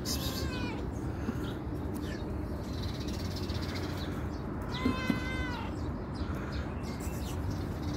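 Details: Calico cat coming when called, giving two drawn-out, harmonic meows, one at the start and another near mid-recording, over steady low background hum.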